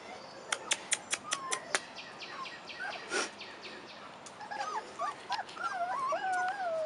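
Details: Four-and-a-half-week-old Rottweiler puppies on their first time outdoors, giving several wavering, high whimpers that rise and fall, after a quick series of sharp clicks and a brief burst of noise.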